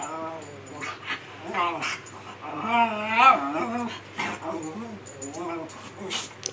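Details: Miniature Schnauzer named Khybee, a pet dog throwing a morning tantrum when his owner makes the bed and folds his yellow blanket; drawn-out wavering whines and yowling moans rising and falling, with rustling and a voice in the room.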